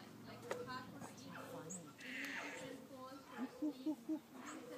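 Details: Gibbons sing at the Gibbon Conservation Center, a quick series of short, rising hoots over background voices.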